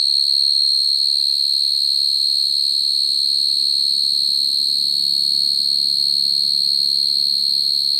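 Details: Field cricket calling females, a sound used to trap crickets: a sustained high, pure-toned trill, steady throughout, over a soft low rumbling murmur in the background.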